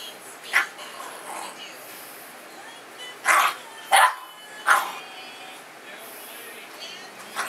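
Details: Mastiff/Boxer mix puppy, female, playing and barking back: a few short, sharp barks spaced unevenly, with quiet pauses between them.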